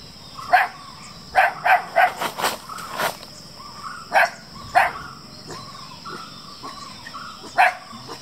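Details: Black Belgian Shepherd Groenendael puppies in Attapady, Kerala, reacting after being surprised from afar with a bark and growl; several short, sharp yapping barks come in irregular bursts, some closely spaced, with faint rural background hiss.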